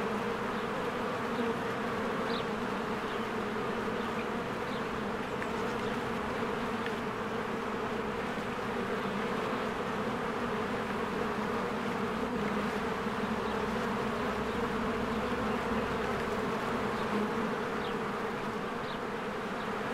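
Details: Honeybees in spring flying in and out of their hive among blooming flowers, a dense continuous hum of many wings with steady low droning bands, faint high bird chirps flickering above the buzz.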